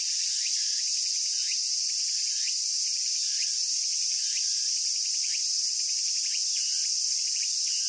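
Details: Japanese cicada chorus: a continuous shrill, hissing buzz that holds constant throughout, overlaid by soft quick chirping notes at irregular intervals.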